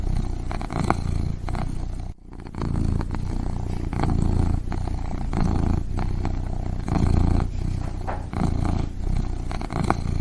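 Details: Kitten purring steadily and deeply, a low rumbling drone pulsing in long rhythmic cycles, with one brief pause near the start of the clip.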